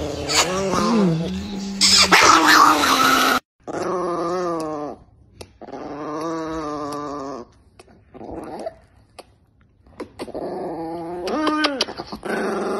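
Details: Angry Chihuahua named Niki growling: long sustained, tonal growl-snarls in several stretches separated by brief pauses, rising into a higher whining snarl toward the end, with a loud noisy burst early on.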